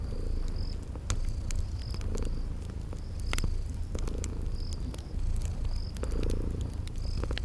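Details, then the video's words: Sleeping kittens give a steady low purr with rhythmic swells every second or so, while cricket-like high chirps repeat regularly and a fireplace crackles with sharp pops in a spring garden setting. "Cute Sleeping Purring Kitties"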